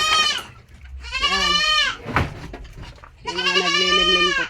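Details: Domestic goats kept on a farm give three loud, wavering bleats rich in harmonics, each lasting about half a second to a second, with a sharp click between the second and third.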